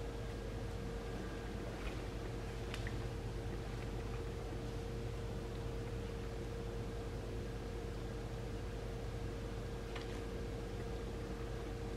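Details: Steady low hum with a constant mid-pitched tone and a few faint clicks; no animal voices.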